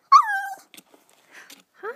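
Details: Daisy, a poodle puppy, digging under the couch after a ball, gives one drawn-out whining yelp that falls slightly in pitch, followed by faint scuffling and a soft voice at the end.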